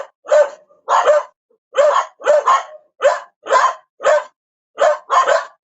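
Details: A dog gives loud, rough barks, around ten in under six seconds, some coming in quick doubled pairs, separated by brief quiet gaps; nothing else is heard.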